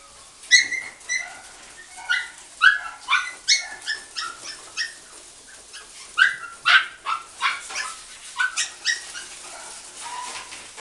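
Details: Shiba puppy-shop dog yelping and whining in quick high-pitched bursts, roughly two or three cries a second in clusters, short pauses between groups.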